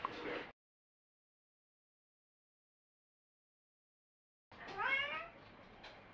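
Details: House cat named Me in conversation with its owner, its vowel-like meows interpreted as requests to play, go out or come in, or protest; a short sound, long silence, then a clear rising-falling harmonic meow.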